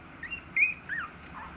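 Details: Three-week-old Dachshund puppies give thin, high squeaky whines, two brief tonal cries close together.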